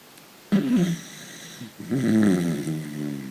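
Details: Dachshund snoring in its sleep, dreaming: two drawn-out, throaty snores with a wavering, slightly whiny tone, the second longer and louder than the first, in a quiet indoor setting.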